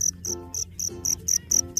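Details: At night a wild black field cricket keeps singing beside its burrow to attract females, then slips inside; crisp, shrill chirps come in an even series of about four per second over a faint low rumble.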